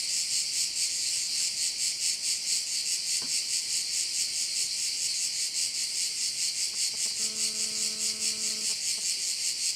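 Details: Insect chorus of crickets over a bay on Korčula, a continuous high, hissing drone pulsing a little over twice per second, joined late by a brief low droning hum with overtones and a faint click midway.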